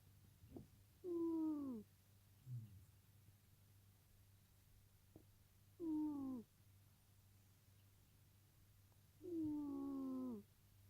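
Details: Sleeping pet cat lying next to a person, making short falling whiny moans, three clear ones several seconds apart, with faint clicks and a low background hum.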